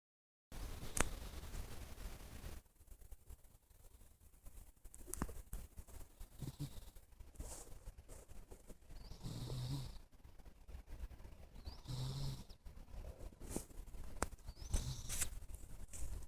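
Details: Pet cat asleep and snoring, low rasping breaths rising and falling roughly every two and a half seconds, with faint rustling and clicks in the room.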